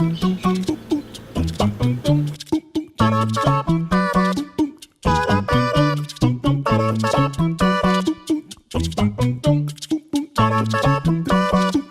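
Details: Bouncy instrumental music plays in short repeated phrases for the whole stretch, with no animal sound audible.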